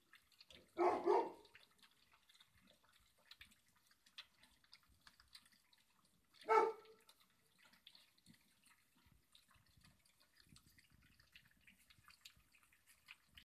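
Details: Light yellow Labrador Retriever puppies being weaned and eating together give two brief, high yelps several seconds apart over soft background noise.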